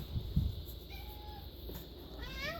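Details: Domestic cat indoors after being offered catnip picked from the yard, giving a short rising meow with clear harmonics near the end, preceded by a faint thin tone; a few soft thumps and low room hum underneath.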